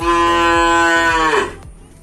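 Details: Cattle kept the traditional way in a pen in Aceh, Indonesia. One long, steady, rich moo lasts about one and a half seconds, then trails off, over background music with a rhythmic low beat.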